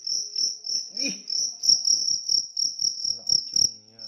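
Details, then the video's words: A large cricket chirping steadily, high pulsed trills repeated about every quarter second with short gaps between bursts; faint clicks and a brief low rustle or voice-like sound near the start. "jangkrik besar"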